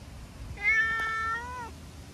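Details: A chatty brown tabby-and-white stray cat gives a single drawn-out meow, level then dipping at the end, lasting about a second, while being petted and rubbing back affectionately; quiet low background hum.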